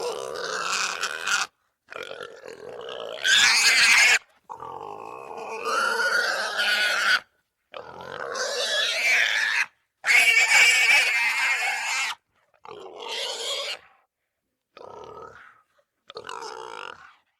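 A wild boar gives harsh, shrill squeals in bursts of one to two seconds, with short silences between.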